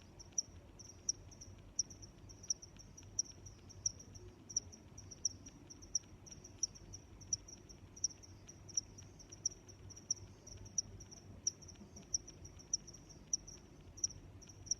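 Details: Steady cricket chorus of shrill, evenly spaced chirps, roughly one every second or slightly faster, layered on a constant high trill and a faint low drone.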